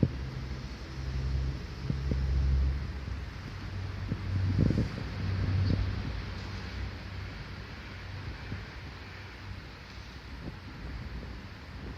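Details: Low wind rumble and distant engine drone with occasional soft knocks, no animal voice. The sound stays deep and steady, with no calls or cries standing out.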